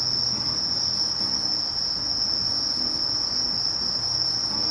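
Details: Sasakiri katydid (Conocephalus melaenus) singing: a steady, unbroken high-pitched buzz that holds at one pitch for the whole stretch, with faint low murmuring in the background.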